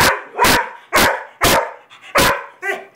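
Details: Weimaraner and Vizsla dogs, prompted by a repeated "speak" command, give five loud, abrupt barks about half a second apart, with a short whiny yelp at the end.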